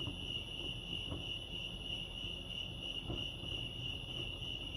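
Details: Continuous high-pitched cricket chirping at Lake Arrowhead in California, an even sustained trill over low background rumble with a few faint soft knocks.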